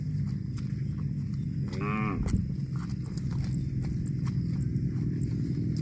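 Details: Cow letting out a short, harmonic-rich moo of about half a second amid loud low-frequency rumble and scattered clicks or footsteps.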